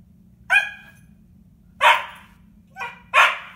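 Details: A female Siberian Husky puppy in a window gives short, harmonic yips and woo-like barks, spaced unevenly over a few seconds, seemingly talking to herself.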